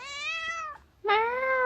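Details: A pet cat indoors giving two drawn-out meows, the first steady and slightly falling, the second starting abruptly and rising a little, clear harmonic tone with a brief pause between.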